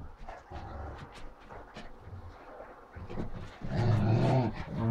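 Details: Great Danes Ole and Oline in an office, giving low, rough growls that swell louder near the end, with scattered knocks and shuffling around them.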